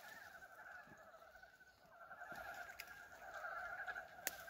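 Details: First frog chorus of 2023 at a farm, recorded 19 February on a warm day: many frogs giving fast, rattling, overlapping croaks that form a continuous two-toned drone, growing slightly louder, with a few sharp clicks.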